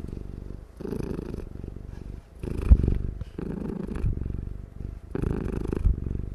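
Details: Domestic cat dozing and purring loudly, a steady low rumbling purr in repeated bursts, each breath cycle lasting about a second with short pauses between, in a quiet indoor room.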